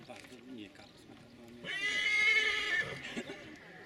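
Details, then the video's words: Silesian stallion giving a loud, strained neigh lasting about a second and a half, a bright harmonic cry that holds level then trails off, over steady background chatter of people talking. "ogier śląski"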